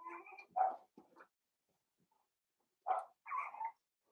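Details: Indoor puppy pen with five-week-old Cavalier King Charles Spaniel puppies: two bursts of whiny yelps, each a few quick nasal squeals, separated by about two seconds of near silence.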